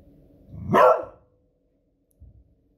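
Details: Female beagle dog barking at fireworks noise on a Friday evening: a single sharp, loud bark with a rising onset, followed by faint low thumps of distant fireworks.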